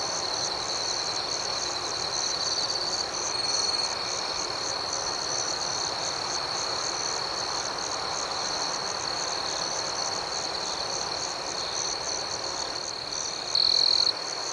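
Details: Night ambience full of crickets: an unbroken high, thin trill and rapid pulsing chirps, steady for the whole stretch, with a brief louder burst near the close.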